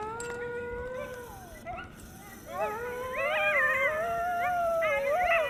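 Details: Two coyotes, excited to see each other in a happy greeting, make a tangle of wavering howls, yips and whines.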